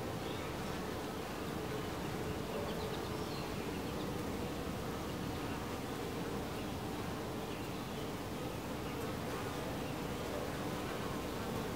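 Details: Continuous drone of honey bees crowding a hive entrance: an even, unbroken buzz with a low humming tone and a wide hiss behind it, steady in loudness.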